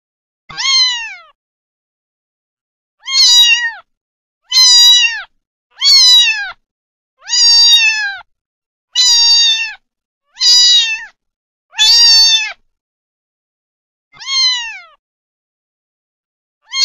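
A kitten meows repeatedly, giving high, thin mews that dip slightly in pitch, one every second or two.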